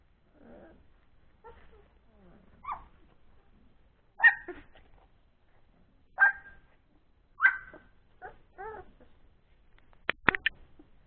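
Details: Playful Old English Sheepdog pups three weeks old, after a meal, making soft low grumbles that build into loud rising yelps and whines, each a couple of seconds apart, finishing with quick sharp clicks.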